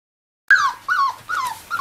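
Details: Five-week-old miniature labradoodle puppies playing with their mother give high whining yelps that slide downward, four in quick succession after a silent start.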